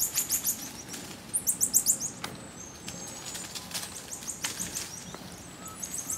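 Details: Socially interacting marmosets utter bursts of piercing, very high chirps in quick succession, roughly three or four per second, with fainter high whistles and twitters scattered between over light background noise.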